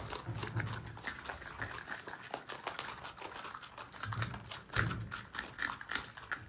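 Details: Pet marmots, Himalayan and Alpine, eating indoors; quick crisp crunches and taps in irregular bursts, with occasional low thuds.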